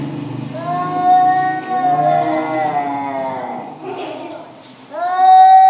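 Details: Two cats in a threatening standoff: a long, slowly bending yowl that sags and trails off, a brief lull, then another sharp rising wail bursting in at the end over a low rumbling background.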